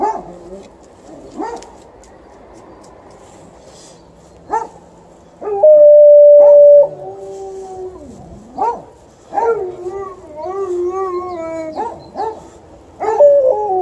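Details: Alaskan Malamute, alongside a Golden Retriever, guarding the house from an intruder standing across the road: long tonal howls with rich harmonics, one steady held note near the middle, then wavering howls and short yelps toward the end.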